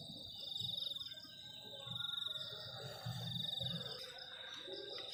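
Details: Crickets chirping on a cold night near the forest edge, a continuous high, finely pulsed trill holding steady, over soft low rumbling and a brief rustle near the end.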